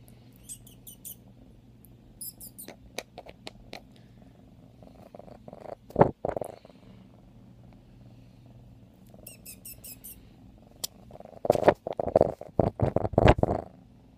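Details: Maddy, a five-month-old female F1 Savannah cat wanting to be held while also restless and playful: steady low, rumbling purr throughout, broken by rustling and handling bumps around the middle and end.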